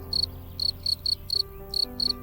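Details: Adult winged cricket producing sound: seven crisp, high-pitched chirps, each brief and evenly spaced about a quarter to half second apart, over a soft musical backing.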